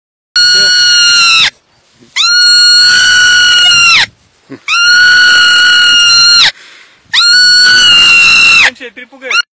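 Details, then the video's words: Marmot screaming in a human-like way: four long, piercing, high shrieks, each held steadily for about one to one and a half seconds before dipping slightly at the end, separated by short pauses, with a brief fainter cry closing the sequence. "Marmot Screaming"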